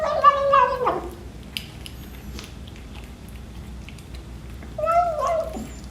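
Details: Twelve-week-old British Shorthair kitten at breakfast, giving a drawn-out, harmonic meow that slides downward, then after a quiet pause a second shorter, wavering meow, with faint eating noises between.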